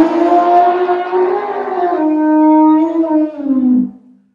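An elephant gives a loud, brassy, trumpet-like call that holds steady, then drops and fades.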